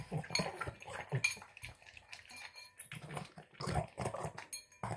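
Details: A Boston Terrier gulps down his tuna, egg and kibble dinner, snorting and snuffling in quick, pig-like bursts, with bowl clinks.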